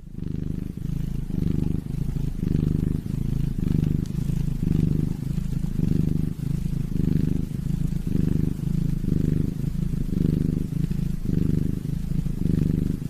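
A squirrel purrs in a low, throaty rumble that swells and fades in steady pulses.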